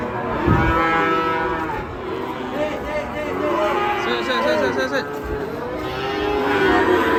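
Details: Agitated, raging cattle in Indonesia giving repeated wavering, bending moos that rise and fall in pitch, with faint voices and general crowd noise in the background.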